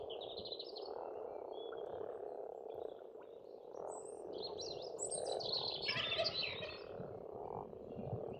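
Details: A massed spring frog chorus at a farm pond in Estonia, with steady overlapping croaks forming an unbroken hum. Bird songs rise over it, with a busier burst of whistles near the end.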